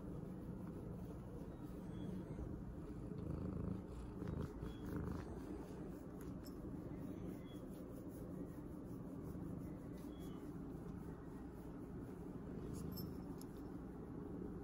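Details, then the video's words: A pregnant domestic cat purrs while receiving attention. A steady, quiet, low rumbling purr runs unbroken through the whole recording, with faint rustling now and then. "major purring action"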